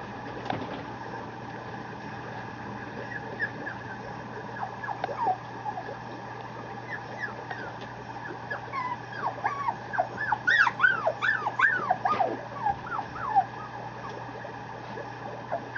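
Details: Male Mame Shiba Inu puppy at a Japanese breeder, Setsushu Housansou, giving thin high whimpers that rise and fall, scattered early and then bunched into a quick run of whines in the second half, over a steady low hum.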